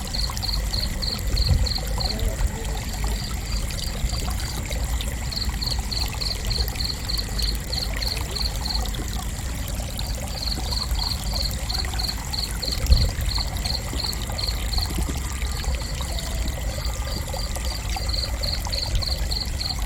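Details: Cricket chirping in short rapid trains of high pulses that start and stop every few seconds, over a steady low rushing background like flowing water.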